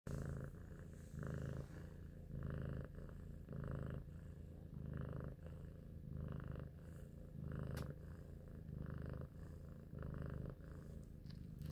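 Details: A cute, intelligent pet cat named Big Shoes purring indoors while thinking; a steady low rumble swelling in breathy pulses roughly every one to one and a half seconds, with a faint sharp click near the eight-second mark.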